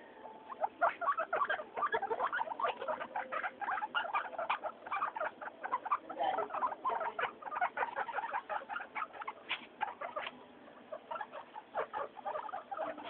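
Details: Three pet guinea pigs, Mayumi, Archie and Miyuki, noisy and happy during floor time; dense, continuous stream of short squeaky calls, rapidly repeated and overlapping throughout.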